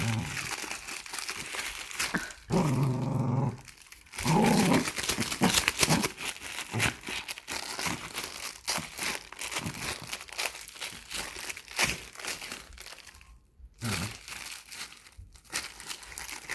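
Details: Nine-year-old Dachshund playing tug with a plastic bag indoors, low rumbling growls swelling in bursts of a second or two amid loud crinkling and tearing plastic, with a little music and muffled voices in the room.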